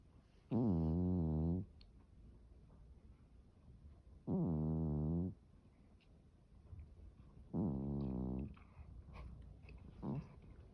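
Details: Deep, rumbling snores from a Norwegian Forest cat while it sleeps: three long, buzzy breaths spaced about three and a half seconds apart in a quiet room.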